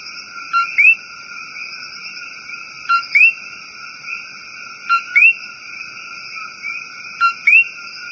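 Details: Four repeated 'co-qui' calls from a coqui in the rainforest, roughly every two seconds, a short note rising into a whistled upslur, with a dense ringing chorus droning throughout.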